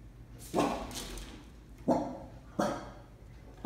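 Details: Indoor dog barking at something it seems to see in a corner, which people cannot see; three gruff, deep single barks spaced roughly a second apart, with a fourth bark starting at the very end, in a quiet room.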